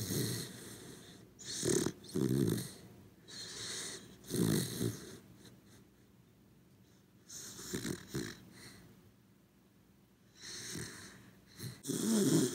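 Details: A corgi called Cooper, asleep at home, snoring steadily. Paired raspy inhale-exhale snores repeat every couple of seconds with a throaty rattle, fade to a quiet gap, and build again into stronger rumbling snores at the close.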